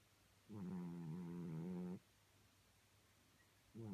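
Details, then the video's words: Cat snoring in its sleep: one steady, humming, low droning snore lasting about 1.5 seconds, then a quiet breathing gap before the next snore begins at the end. "Snoring Cat"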